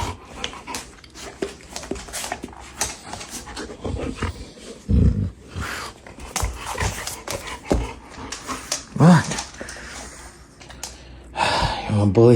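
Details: Dog indoors panting and snorting, giving a brief low groaning grumble midway and a whiny rising vocalization near the end, while a person speaks about a treat.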